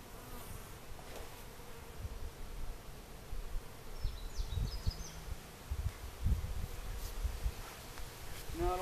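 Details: Honeybees from a large hive being split into new colonies, which are left to raise their own queens: a steady, dense low hum of buzzing wings fills the recording, with brief higher chirping sounds near the end.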